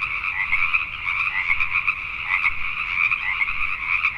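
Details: Night chorus of Pacific tree frogs in Richmond, British Columbia, Canada, many voices blending into a steady rattling wall of quick croaks with brief louder bursts standing out.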